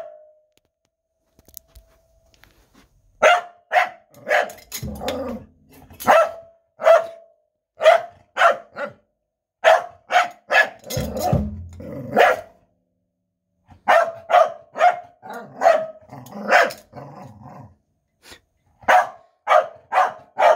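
A corgi gives short, yelping howls in quick bursts, mixed with sharp percussive drum hits.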